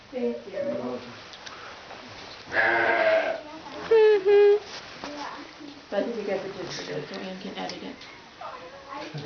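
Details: Baby alpaca (cria) on a farm that breeds alpacas and Wensleydale sheep, giving short, high, tonal kazoo-like hums, two clear bursts near the middle, with people talking throughout.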